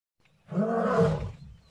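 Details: Lion giving a single roar, a rough, harmonic-rich bellow rising in about half a second, holding strong for nearly a second, then fading out.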